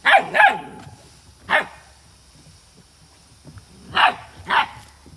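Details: Ibizan Hound (Podenco Ibicenco) puppies at a kennel, playing with water: sharp, bright barks, a quick double bark at the start, a single bark near one and a half seconds, then another close pair near four seconds, with quiet gaps between.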